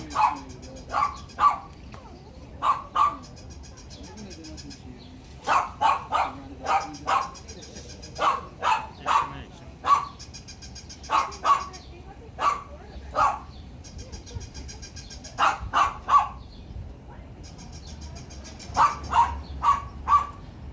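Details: Dogs barking loudly: short, sharp barks in clusters of two or three, repeated throughout with brief pauses between bursts, over a low steady background hiss.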